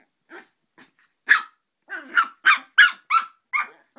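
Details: Dog named Joey, who hates Mike Wazowski, letting out a rising series of shrill yaps, starting with faint soft ones and building to rapid loud barks about three per second, with a brief low growl between.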